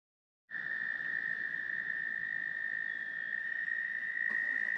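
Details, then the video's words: Tree frogs singing at Steusser Lake, Michigan, described as very loud: after a brief silence a bright, even, high trilling chorus starts abruptly and continues without a break, with a faint click near the end. "Michigan with tree frogs singing"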